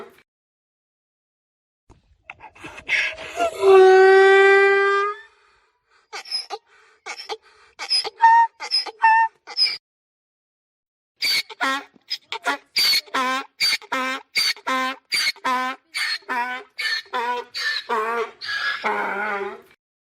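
A mule brays: a long, drawn-out harmonic cry, then a run of rapid, rasping, seesawing gasps.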